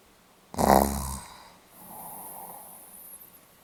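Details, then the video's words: A Pomeranian sleeping on 8 November 2015 lets out a single buzzing snore, sharp at its start and tapering, followed by a long soft hissing exhale in a quiet room. "ポメラニアン 犬のいびき"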